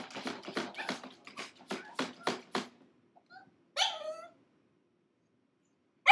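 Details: Six-month-old pug puppy named Gizmo, shut in a crate for five minutes, crying: a run of rapid short rasping pulses, then a few faint whines and one sharp high yelp with harmonics, followed by silence.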